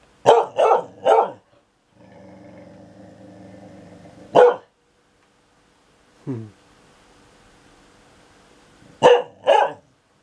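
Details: Dog complaining that the thunder is noisy: three rapid sharp barks, a drawn-out low grumbling growl, a single bark, a brief yelp, then two more barks at the end.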